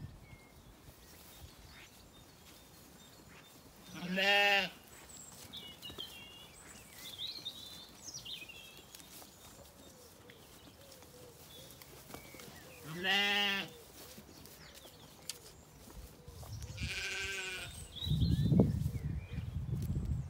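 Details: Weaned Zwartbles lambs grazing calmly in an orchard on a farm in County Kilkenny, Ireland, in evening light; three loud wavering bleats spaced several seconds apart over quiet background and a faint bird.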